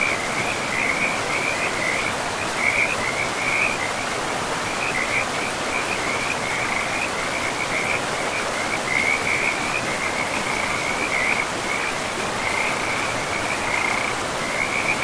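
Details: Forest river frogs trilling in a fast, continuous chorus of short rattling pulses throughout, set against a steady wash of rushing water in a pristine woodland.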